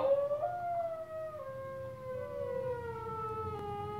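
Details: A dog responds to David Attenborough's wolf call with a long, wavering howl that slowly slides lower in pitch.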